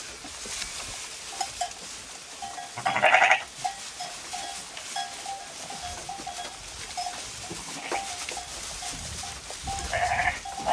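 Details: Sheep grazing in a field bleat in short, wavering bursts, with quieter flock sounds between them.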